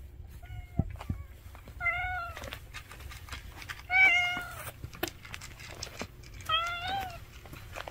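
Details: A family of street cats gathered at mealtime, meowing repeatedly: four separate meows spread over several seconds, the third loudest and most strained, with light clicks and a low background rumble between calls.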